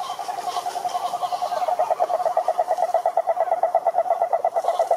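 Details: Cururu toad chorus from a lake in the Brazilian Atlantic forest, a single mid-pitched pulsed trill held without a break for five seconds, its pulses evenly spaced and steady in loudness.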